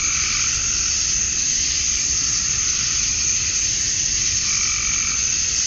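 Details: Cicadas at dusk on a Georgia summer night, the males chirping for females, make a continuous, even, high-pitched whirring drone with little change throughout.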